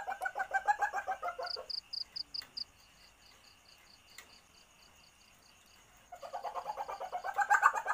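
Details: Lure sound of an Asian palm civet in heat: a short burst of pulsed harmonic chatter, a quiet stretch filled only by regular high ticks, then the chattering returns louder at the end.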